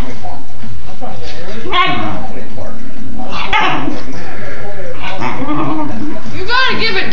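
A Basenji begs with warbling, wavering yodels that rise and fall in pitch, with a person talking nearby.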